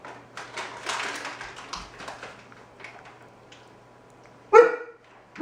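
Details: An indoor scene with Kai, a four-month-old Alaskan Malamute puppy who is terrified of balloons and is being tempted with treats. Soft rustling and faint voices come first, then one loud, abrupt bark near the end.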